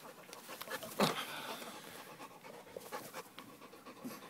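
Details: American bulldog panting in soft, breathy, noisy bursts throughout, with a sharp knock just after the first second and faint voices in the background.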